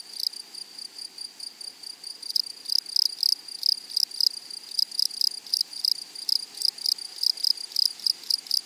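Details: Meadow grasshoppers stridulating: a soft high hum for the first two seconds, then loud crisp pulses repeating roughly three times a second in a steady rhythm.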